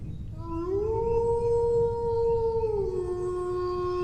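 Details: Single dog howl rising quickly from a low start to a held, even tone, then sliding down to a lower sustained pitch for the final second; soft low background noise.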